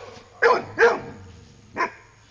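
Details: Dog frightened at the sight of a buffalo during a morning walk gives three sharp, loud barks spaced about half a second and then a second apart, with a person calling to it before and after.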